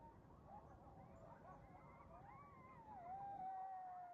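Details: A coyote pack on the move through a neighborhood in the morning: overlapping wavering yips build into a long, clear howl that rises, then settles into a steady sustained tone near the end, over low background rumble.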